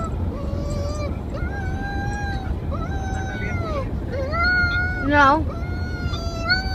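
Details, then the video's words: Howling pet dog giving repeated long, smooth notes that rise then sag, one breaking into a quick quavering warble near the end, over a continuous low-pitched background hum. "a cute dog howling"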